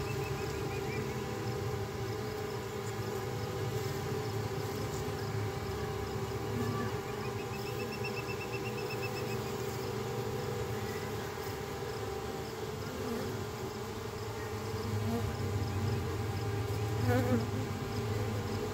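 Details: Honey bees swarming as a crowded colony splits and the old queen leaves with thousands of workers. A dense, unbroken droning hum of layered low tones runs throughout and swells slightly near the end.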